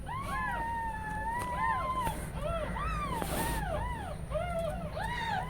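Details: Several newborn kittens crying while their mother cat is away resting, indoors at home; repeated arched high mews overlapping one another, a long sustained cry near the start, then steady rhythmic calls about every half second, with a low background hum.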